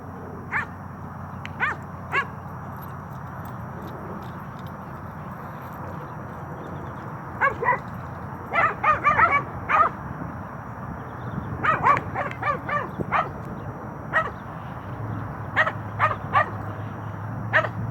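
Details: Xina, a nine-month-old Cane Corso, playing with another dog: scattered sharp barks and yips come singly and in quick bursts of three to five over a low rumbling background.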